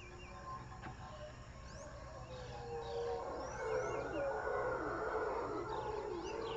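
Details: Howler monkeys at Jungle Land, Panama: a deep, rough roaring chorus swells steadily louder over several seconds, while thin bird chirps and whistles sound above it.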